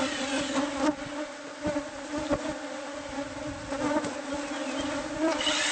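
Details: Bees from a hive hidden inside the walls of a house, being removed during pest control work. A steady, low droning hum with layered tones, broken by sharp clicks and knocks from the removal.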